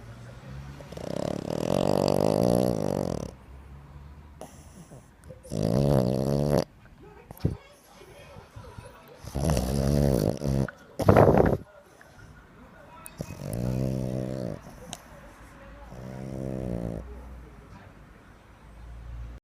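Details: Pet French Bulldog, dated 20 August 2025, voices a series of drawn-out, wavering harmonic groans, each one to two seconds long, separated by short pauses in a small quiet room, with a few brief sharper bursts in the middle.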